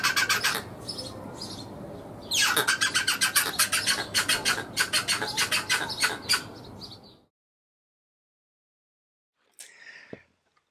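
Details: A male rock hyrax sings a rhythmic song of rasping, pulsed chucks in twos and threes. He repeats one phrase five times, varying it each time, and improvises loosely the last time. The song attracts mates, and steadier rhythms win more of them.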